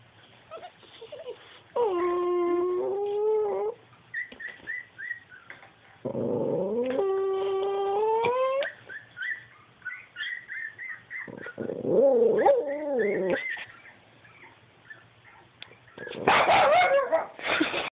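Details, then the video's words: Upset two-year-old tricolour Cavalier King Charles Spaniel reacting to a screen showing puppies: several drawn-out, wavering harmonic whines and howls separated by short gaps, with soft yips between them and a louder burst at the end. "Cavalier making the strangest noises"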